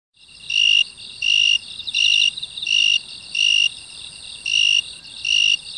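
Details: A broad-winged tree cricket (Oecanthus euryelytra) sings pure, ringing bursts of about half a second, repeated steadily, on 27 August 2016 in grass near an apartment in South Korea, away from its usual coastal habitat.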